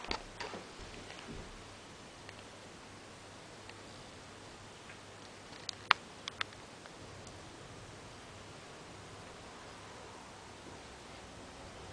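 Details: A near-silent indoor room with a few faint ticks and clicks, and no animal sound audible.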